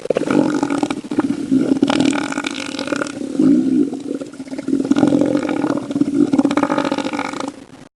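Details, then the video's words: Elephant seal giving long, deep, pulsing guttural roars, three drawn-out bouts of throbbing low rumbling with rough harsh overtones, each lasting about two seconds with short pauses between. "Elephant Seal Sound Effects"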